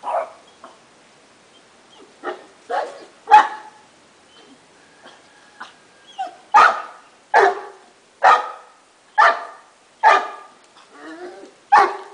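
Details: A French Bulldog barks at another dog, with short sharp barks coming irregularly, first scattered and softer, then a quicker run of loud barks roughly every second.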